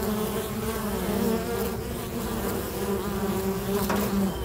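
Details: Bees bustling around a local bee box: a continuous, low, layered buzz that shifts gently in pitch as individual insects pass, with no other clear sounds.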